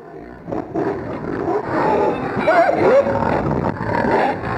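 Several pigs keep up a rough, overlapping grunting that builds after the first half second. Midway through, a short, wavering squeal rises and falls above the throaty noise.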